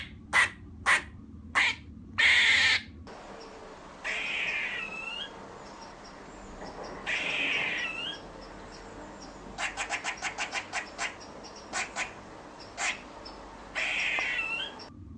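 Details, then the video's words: Squirrel barking: sharp, high chirping barks, some in quick clusters of rapid pulses and others drawn out with a rising then falling sweep, separated by short pauses over a faint steady background hiss. "squirrel sound effect - sound of squirrel barking"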